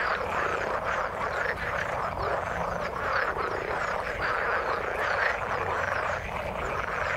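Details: Frogs heard in the water as a continuous crowded chorus of short overlapping croaks and rattles, even in loudness throughout, with a low rumble beneath.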